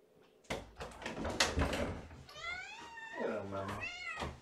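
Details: Kitten from Gamora's litter of five Infinity Kittens, born April 14, at bedtime feeding, hungry and moving to the kennel door; after a noisy, clattering start, several clear rising-falling harmonic meows, with a woman talking nearby.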